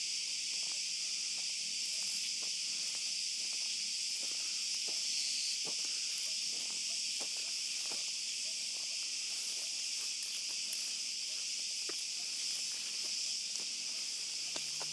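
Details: Cicadas at night in an olive grove, heard on a dog walk: a dense, unbroken high shrill buzz fills the air, with soft footsteps crunching underneath.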